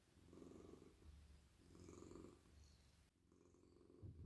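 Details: Cosy domestic cat purring in a lap while his head and neck are stroked: deep, even rumble rising and falling in slow breaths, with a faint rustle near the end.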